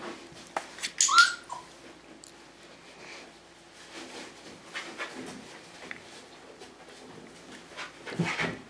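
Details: Tamaskan Dog puppies, five weeks old, during the Puppy Culture box game: a high whistle-like whine near the start, then sparse soft whimpers amid clattering and shuffling noises.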